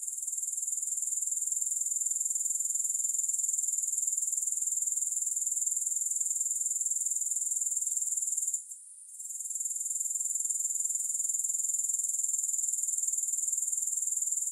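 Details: Steady high-pitched rasping trill of grasshoppers, quickly pulsing throughout, with a single brief drop-out midway before it picks up again; no other sounds.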